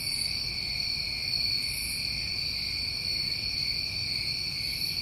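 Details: Summertime crickets in New England at night: continuous piercing trill, steady and unvarying, with a few faint high shimmering pulses and no other voices.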